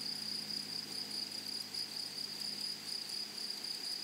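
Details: Fainter, more distant grasshopper calling in a flowery meadow: a near-continuous high trill with small breaks, set against a steady low hum of background noise.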